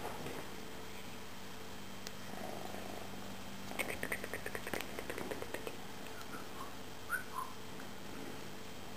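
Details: Low steady purr from a domestic cat, Tejko or Tigra, beneath a patch of rapid rattling clicks midway and a few brief high chirpy squeaks toward the end.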